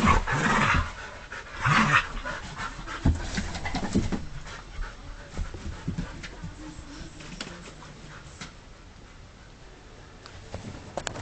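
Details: Husky dog gone wild: two strong breathy, whining vocal bursts open the recording, followed by fast, uneven panting that fades to quiet breathing.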